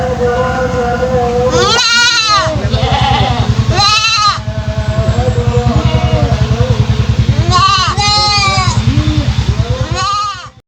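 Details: Three-month-old goat kid whose strange voice differs from other goats; short arched bleats at intervals mixed with people talking and a pulsing low engine-like hum throughout.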